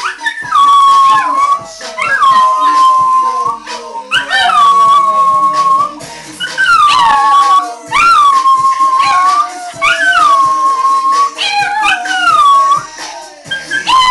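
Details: A Chihuahua and a Dachshund, two pet dogs, howl along to the song Apple Bottom Jeans playing indoors: long wavering howls that rise, then hold steady, repeating about every two seconds, overlapping one another above the music.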